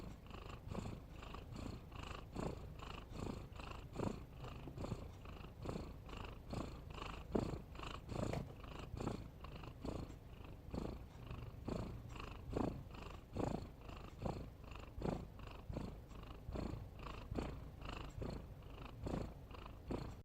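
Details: Domestic cat snoring while asleep indoors, a soft rhythmic breathing rasp repeating a little over once per second, each breath a low rumbling pulse, steady and unhurried throughout with no other sounds.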